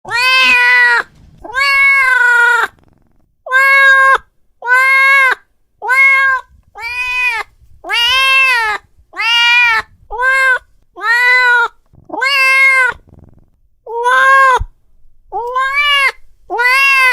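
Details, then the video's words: Angry domestic cat meowing loudly and repeatedly, each call a harmonic, slightly arched wail about a second long, with short pauses between, roughly fourteen calls in a steady series indoors. "Suara Kucing Lagi Marah"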